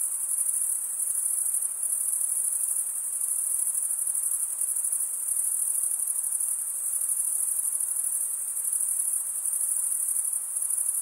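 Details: Crickets stridulating, the males running one wing across the comb-like teeth of the other. The result is a constant high, shimmering trill with gentle rhythmic pulsing and no background sounds.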